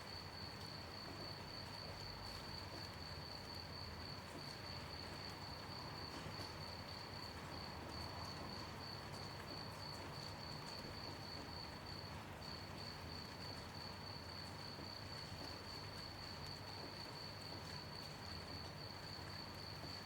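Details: Crickets chirp through a gentle night rain, a sustained high trill at one pitch with a short dip about two-thirds through, while soft rain hiss and a low drone fill the background.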